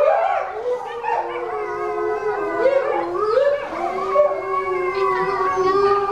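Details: At Tennoji Zoo, a six-week-old male Chinese wolf pup, one of four cubs, howls beside his excited mother. Two or more smooth, gliding howls overlap, rising and falling in tone, steady and continuous across the clip.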